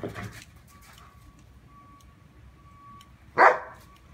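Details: Two poodles romping in the first snow, playing despite a protective collar; after a quiet stretch with a faint steady tone, one sharp loud bark bursts out near the end.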